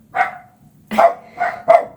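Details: A smooth-coated chocolate dachshund gives a run of sharp, mid-pitched barks, answering a neighbouring dachshund it cannot see; the two like to have a little conversation now and again.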